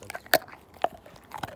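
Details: Siberian Husky named Slim chewing a bone indoors; three loud, sharp cracks of teeth biting bone, spaced about half a second apart, in a small quiet room.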